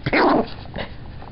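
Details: Chihuahua that hates being picked up while trying to sleep gives a short, rough, snarling growl burst lasting under half a second, followed by quiet room noise.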